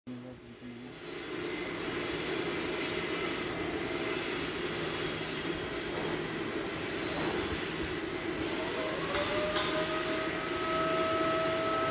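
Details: A train rumbles loudly with steady wheel clatter, and a high squeal rises near the end; no animal calls can be heard.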